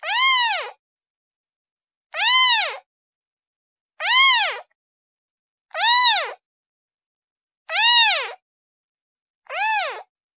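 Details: A kitten calls for its mother with six short arched mews, regularly spaced about every two seconds, each sliding up and back down, clean and harmonic-rich with silence between.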